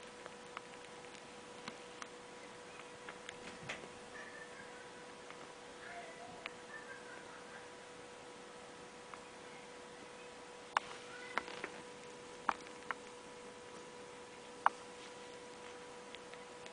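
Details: Ronja the cat's newborn kittens nursing in a warm nest under a light, squabbling over nipples: faint high squeaks wavering in the middle, scattered sharp clicks of loud suckling, and a steady electrical hum throughout.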